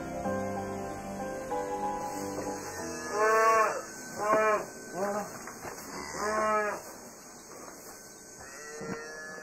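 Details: Dairy cow and her newborn calf, born in the night and taken from its mother within hours so it will not drink her milk, in France; a series of loud, drawn-out moos with rising and falling pitch, over steady background hum and soft music.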